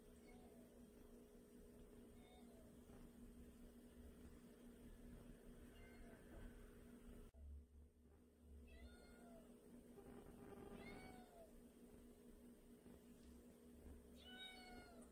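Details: A pet cat, one of two kept indoors (a white male and a tabby female), gives several short arched meows spread across the recording, ending with a louder, higher one. A constant low hum sits beneath, and a person's voice is heard now and then.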